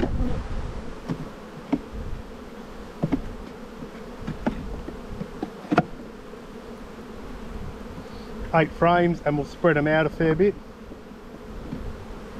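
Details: Steady low hum of a honey bee colony opened for inspection in spring, with brief clicks from hive handling and a human voice speaking near the end.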